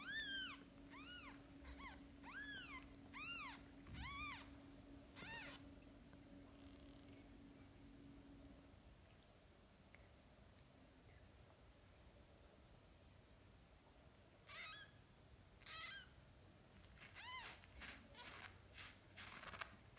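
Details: Mother cat with her young kittens, between birth and the kittens opening their eyes. High, arched mews come in quick bursts, then a quiet stretch, then another run of thin mews near the end over a low steady hum.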